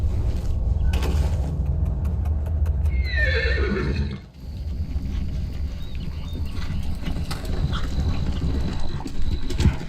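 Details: Horse at a barrel racing event gives one loud whinny that starts high and slides steeply downward, lasting about a second, over a constant deep rumble of the arena, hoofbeats and scattered sharp knocks.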